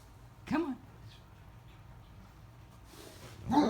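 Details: A female Great Dane lying upside down in bed, refusing to get up, gives two drawn-out, bending 'woo' moans of complaint, with a person speaking softly between them.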